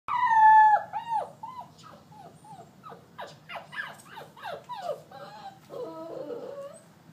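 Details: Abandoned Wheaten terrier/St. Bernard puppies at a shelter, several whimpering together: high, thin whines that slide downward, overlapping in quick succession, one loud drawn-out whine at the start and lower wavering cries near the end.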